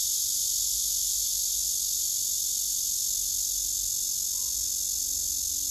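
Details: Male cicada singing hard on a tree across from the first, filmed with a phone: a high, hissing steady buzz, unbroken and even, with only faint low background below it.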